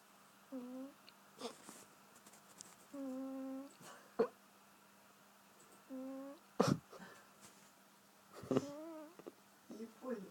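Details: Sleeping cat snoring funnily: steady, humming, tone-like snores, each about half a second long, some ending with a slight waver, returning roughly every two to three seconds, with a few sharp clicks and rustles in a quiet small room.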